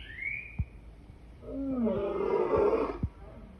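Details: Lion roaring: a deep, rough roar with rich harmonics that swells for about two seconds, preceded by a short high whistle and a few sharp clicks.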